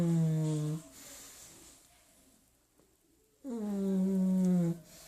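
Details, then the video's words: Sleeping pug snoring indoors in a small room: two loud, drawn-out droning snores with stacked harmonics, each lasting about a second, separated by a quiet pause of soft breathing. "Pug roncando"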